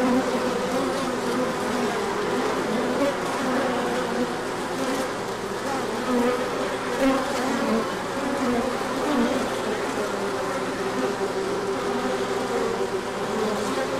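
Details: Honeybees pouring out for a large orientation flight once the sun returns after a colder spell; constant swarm hum with shifting tones as single bees buzz near and away.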